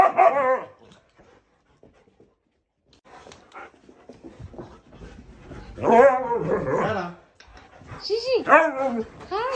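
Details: An 11-year-old male Siberian Husky protests as his owners return home after leaving him, giving three bursts of loud, wavering howl-talk, each note bending up and down like complaining speech, with quiet room noise between outbursts.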